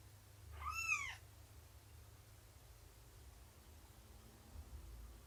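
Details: Domestic cat meowing indoors during a nursing and play session with kittens: a single clear arched meow about half a second long with rich harmonics, then quiet room hum.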